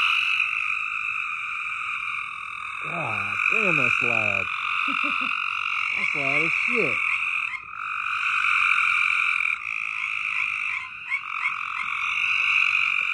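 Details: Loud frogs keep up a constant shrill trilling chorus while low, sliding voice-like sounds come in short bursts near the start and middle.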